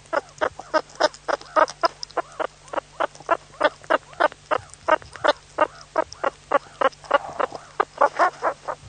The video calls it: Meerkat sounds, suricate call